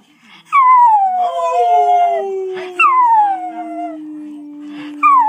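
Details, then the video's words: Chinese Crested dog serenading its owners with its song: three long howls that start high and glide steadily downward, over a lower sustained tone that drifts slowly down. "A Chinese Crested's song!"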